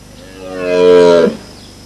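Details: A wild red deer stag on Exmoor gives a deep, harmonic bellow that swells and lifts at the end, a mating call announcing the start of the autumn rutting season.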